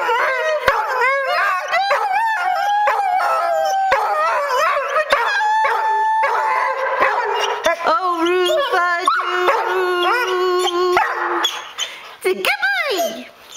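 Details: Pet dog howling along to a favourite song, the only one it sings to; wavering, sliding howls rise and fall over dense music playing throughout, with a long steady held note midway and a final dropping wail.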